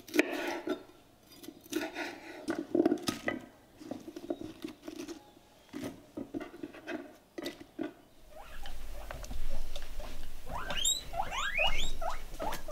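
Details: Pet guinea pig indoors, filmed on a Canon T61: clattering taps and rustles like dishes for about eight seconds, then a run of short, high, rising squeaky chirps repeated in quick succession, with soft room noise underneath.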